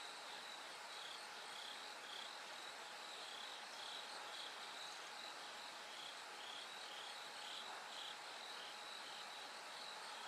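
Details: Night chorus with a bell cricket singing as the sky lightens toward morning. Quick high ringing notes are strung in uneven bursts within continuous insect buzzing and a faint, level background tone.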